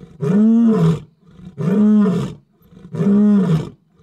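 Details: At night, a male lion close to a safari vehicle gives three deep, moaning roars. Each lasts about a second and rises then sinks, spaced roughly a second and a half apart.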